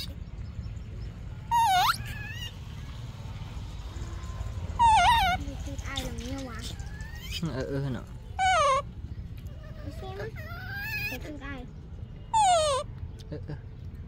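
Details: Baby monkey screaming for its mother's milk: four loud, tonal, wavering cries, each sharply bent and rich in overtones, coming every three to four seconds, with quieter whimpers and a person's low voice between them.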